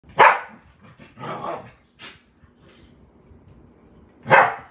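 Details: Samoyed puppy playing hyperactively at bedtime; a loud sharp bark opens and another closes the clip, with a softer growly bark in between and low rustling.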